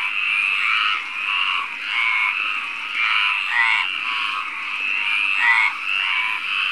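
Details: A male Mediterranean tree frog (Hyla meridionalis) calls at night in May near Barcelona, Spain, vocal sac inflating, with rasping, pulsed croaks that run together almost without a break.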